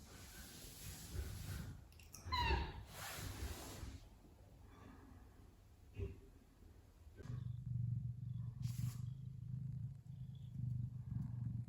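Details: Relaxed Ragdoll cat, a pet, whose purring shows relaxation and happiness rather than anger or threat: one rising, harmonic meow near the start, then a steady low rumbling purr through the second half, with faint handling noise.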